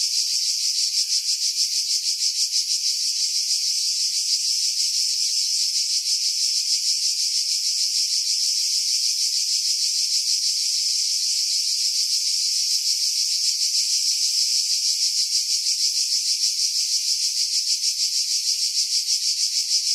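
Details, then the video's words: Cicadas in pines at Pefkos Bay on Skiros Island, Greece, July 2018, filmed on a Sony RX3 with external microphone; constant intense buzzing drone with rapid even pulsing around three per second throughout, heavily filtered for wind. "Cicada Sounds"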